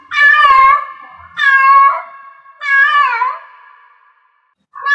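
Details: Three strident, wavering meows from a cat in heat, spaced about every 1.3 seconds, each tailing off into a lingering tone, then a brief pause before a fourth call starts.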